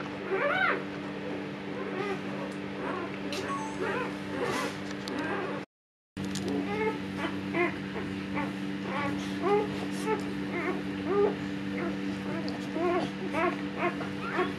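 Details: Siberian Husky Luna during her second labor, giving birth to puppies and staying calm this time; short, high, arching whimpers and squeaks repeat rapidly throughout, over a steady low electrical hum, with a brief total silence near six seconds.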